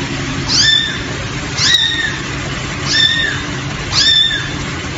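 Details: Baby cat giving four short, thin, high-pitched mews, each briefly rising then falling, repeated roughly every second over a steady low hum.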